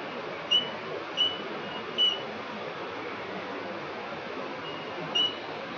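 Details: A tiny cricket, about 1 cm tall, moves through riverside vegetation at Finca La Gracia reserve on 25 October 2019, possibly singing to attract a mate. It gives brief, pure, high chirps at irregular intervals over a steady hiss.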